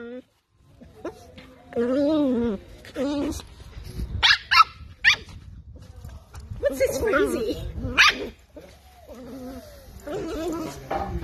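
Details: Mika, a toy poodle, gives a few sharp, high barks spaced through the stretch, two close together near the middle and another later on, while a person talks over and between them.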